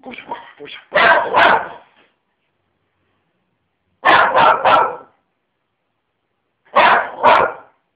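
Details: Lenny, a dog, barking in clusters of two or three harsh woofs spaced several seconds apart, preceded by a brief stretch of softer, lower sounds at the start.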